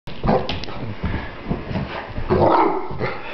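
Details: One-year-old English Mastiff wanting to play gives a series of short, rough, deep barks and huffs, bunched toward the start and the end.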